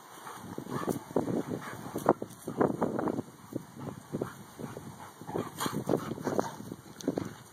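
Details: Dakotah and Kobi, two male dogs who are best friends, make rapid rough grunting growls in short choppy bursts, densest in the first half, then trailing into scattered snorts over a faint background hum.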